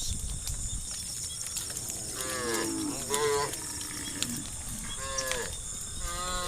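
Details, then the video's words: Dozens of tame cows heading along a dusty road to the fields, grumbling: a scattered chorus of moderate, overlapping moos from several cows, mostly in the second half, over continuous outdoor background noise. "the sound of cows complaining"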